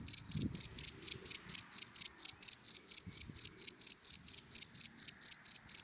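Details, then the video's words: Daytime cricket in dry grass, sounding a clean run of sharp, high chirps at a brisk even pace of about four each second, with only faint low background rustle. "Sound of Cricket in Dry Grass in the Daytime"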